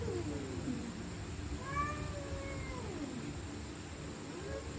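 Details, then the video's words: Angry stray cats at night, a drawn wavering yowl climbing then sagging, with a higher thin cry layered over it, steady background hiss and hum. "Stray Cats Screaming At Night||Angry Cats Growling Sound|Cats Fighting Sound"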